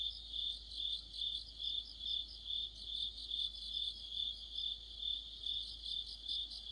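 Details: Deepening autumn sounds from crickets and fellow insects by a streetlight: an unbroken high-pitched chirping chorus beating in steady pulses, about 143 per minute, with thin rapid trills on top.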